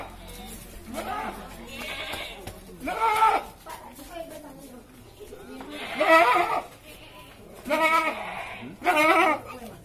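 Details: A goat for the qurban slaughter bleats repeatedly, four or five shaky, nasal cries at irregular intervals, while people chat nearby.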